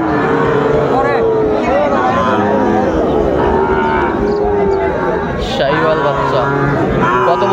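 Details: Market scene in Chittagong, Bangladesh, 16 September 2024, with Sahiwal bull calves: several drawn-out lowing calls come one after another, mixed with people talking and a passing vehicle.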